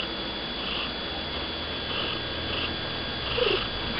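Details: Pixie, a stocky male domestic cat living on an estate, filmed close up; soft rhythmic purring with hushed breathy pulses returning about every 0.6 seconds, plus a brief faint squeak near the end.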